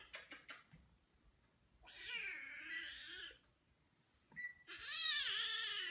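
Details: Domestic cat meowing indoors: a few soft clicks, then two drawn-out, wavering meows, the second louder and brighter, separated by a short quiet gap in a small room.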